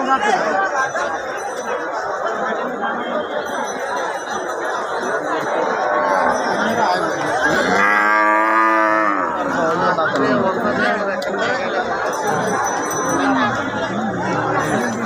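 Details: Cattle at the Hari Sardar cattle market in 14 Gram, Comilla: one deep, drawn-out moo of about two seconds rises from steady crowd chatter and talk midway through, with faint music-like tones high above.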